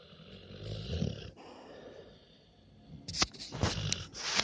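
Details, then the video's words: A large puppy, sound asleep, snores: a low rumbling inhale, a quiet pause, then crackling, snuffly bursts of breath with sharp clicks near the end. "My dogos LOUD snoring."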